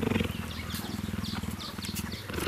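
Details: An 8-month-old cheetah, who rarely purrs, purrs contentedly while meerkats scratch and groom his fur: a steady low rumbling throb with faint high chirps in the background.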